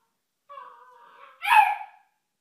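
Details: A puppy gives a thin, steady whine that slides slightly, then breaks into one louder, rougher yip before the sound stops.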